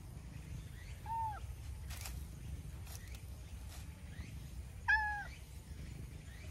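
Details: Stray milk-tea colored cat waking from a nap and chattering as it comes over to be petted, two soft short chirping meows about four seconds apart over a low outdoor rumble.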